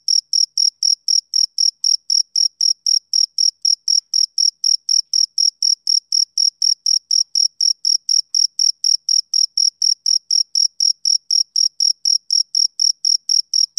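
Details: Steady run of high, piercing chirps from a male cricket at about four per second, unbroken for the whole stretch and very regular. A faint higher overtone sits above each chirp, with no other animals or noise.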